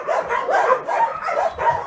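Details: Many homeless dogs, part of some 2,000 animals waiting for homes, bark together in a dense overlapping chorus of short, rough barks and yelps, with no pause between callers.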